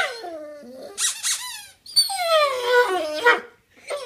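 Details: Pet dog Otis 'talking' to ask for a new toy, giving long squeaky whines that slide and waver in pitch, with a short break in the middle before another stretched, warbling moan.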